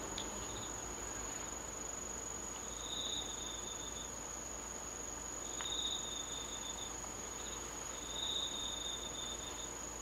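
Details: Autumn insects singing on a moonlit night, 19 August 2013, in Japan: a steady high-pitched ringing hum runs throughout, with thin, high trills lasting about a second recurring every few seconds over faint background noise.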